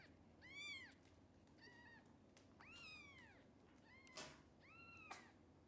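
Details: Hungry kittens of the mother cat Xaxa, who cannot feed them all, get extra formula; several rising-and-falling high meows follow one another, with two sharp knocks near the end.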